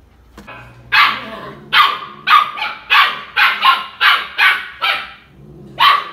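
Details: Young pet Siberian husky barking in sharp repeated bursts, about ten barks spaced roughly half a second apart, after a person speaks Spanish commands telling it to sit.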